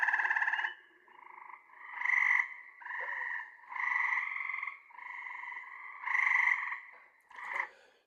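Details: A male gray treefrog (versicolor) from Texas gives its advertising call to females: repeated fluttering, almost birdlike trills, each about a second long, slower and more musical than Cope's gray treefrog.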